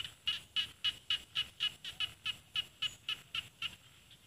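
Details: A small frog calls from Isan rice paddies in northeastern Thailand, with mountains beyond. Loud, sharp chirping pulses come about four per second in an even run of some thirteen notes, then the series stops. Quiet background.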